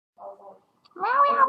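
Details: A cat utters a single drawn-out meow, clear and tonal with a fairly level pitch that dips slightly at the end, preceded by a short, softer murmur.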